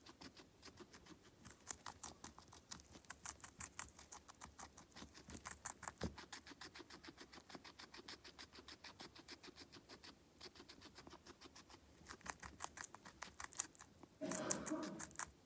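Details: Pet guinea pig being fed, munching steadily: rapid, regular crunchy chewing clicks through most of the recording, a brief pause near the middle, and a louder rustling burst toward the end.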